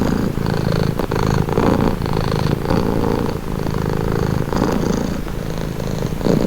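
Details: Steady rumbling purr of a domestic cat, low buzzing throb with gentle breath-by-breath swells, punctuated by a couple of faint soft clicks early on.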